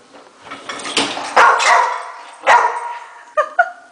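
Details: Escobar, a male pet Rottweiler, barking at the top shelf of the dishwasher as it is unloaded; a few loud, sharp barks spaced about a second apart, with softer clatter and faint household noise between them.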